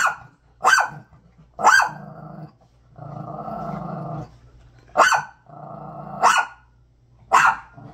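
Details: Dog confronting a bag: loud abrupt barks alternating with long, steady low growls lasting over a second each, six barks in total.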